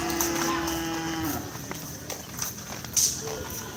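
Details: Cattle at a Kerapan Sapi bull-racing ground, Asemanis field, Pamekasan, Madura, East Java, Indonesia: a steady low moo lasting about a second and a half opens the recording, then fades under crowd chatter, people talking and clattering noise.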